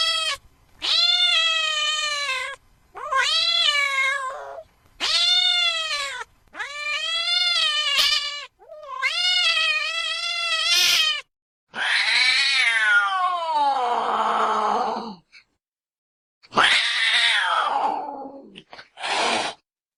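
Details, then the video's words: Cat producing a rapid series of bright, arching meows about a second long, then harsher, noisier drawn-out yowls sliding downward, with short pauses and a final brief cry. "Tiếng mèo kêu. The sound of a cat meowing"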